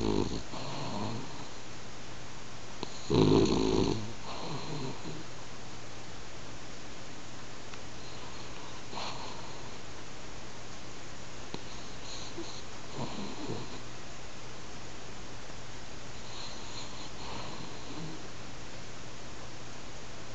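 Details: French Bulldog dozing at home and snoring, the snores getting louder over time; one heavy, rumbling snore early on, followed by softer, breathy snores every few seconds in a quiet indoor space.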